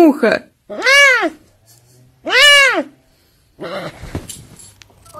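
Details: Pet serval, male, repeating loud arched meows about every one and a half seconds, bright and harmonic-rich, bracketed by human chatter and rustling at the start and end.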